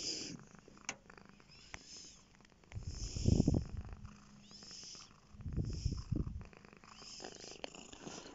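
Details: A lap cat, Bear, purring: low rumbling purr swelling in two long bursts around the middle and later, softer low purring between, with faint clicks and light rustling.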